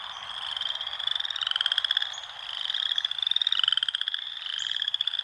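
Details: Wild frogs call in overlapping runs of rapid, rattling pulses, high and buzzy, swelling and fading in roughly two-second waves.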